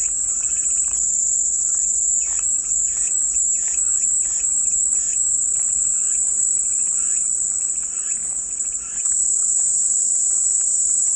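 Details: Calming cicada white noise: a sustained, high-pitched buzzing fills the air continuously, briefly easing near the end before resuming, as a bird chatters in quick repeated chirps below it.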